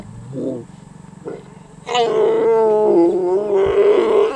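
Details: Lion and lioness mating in Savute, a pair that mated about every 20 minutes for hours; short low grunts, then a loud, drawn-out harmonic snarling roar that wavers and dips before rising again near the end.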